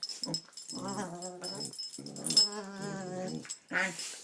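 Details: Pet dog making silly vocal noises: several drawn-out, grumbling, moaning whines, each roughly a second long with wavering pitch, separated by short breaths and a brief squeak near the end.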